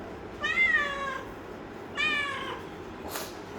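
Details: Domestic cat indoors giving two drawn-out meows, each falling slightly in pitch and about a second apart, followed by a brief clatter.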